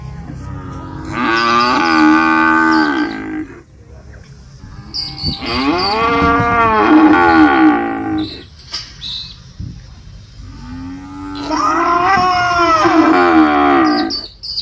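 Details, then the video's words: Three long moos from a real cow in an 8D animal sound recording, each lasting two to three seconds and spaced roughly five seconds apart, deep harmonic lowing with a slight upward swell and falling end. "SONIDO DE VACA"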